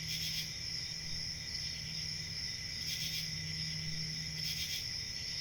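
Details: Crickets chirping in a steady, continuous high-pitched trill made of several layered tones, with a few brief louder pulsing bursts and a faint low hum underneath.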